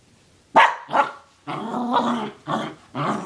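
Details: A dog going after a sock: two sharp barks followed by rough, rumbling growls in short bursts, harsh and noisy throughout.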